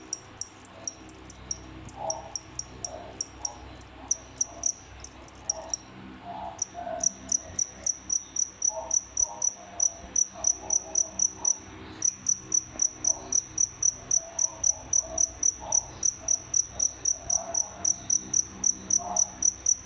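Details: A paired cricket kept as feeder stock chirps in quick, high, metallic pulses, about four every second; the keeper supposes the pair killed the other crickets after pairing.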